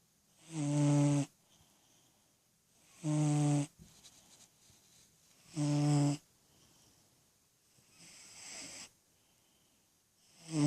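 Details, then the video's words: Snoring steadily in his sleep, ten-year-old cat Freddy lies with eyes open and dreaming; deep, rasping snores repeat about every two and a half seconds, four strong ones and a fainter one between, in a quiet room. "Snoring Sleeping Cat"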